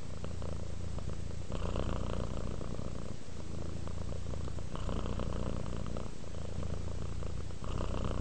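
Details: A cat relaxing and purring steadily, a dense low-pitched rattle that swells in long breath phases of about three seconds, loud and close.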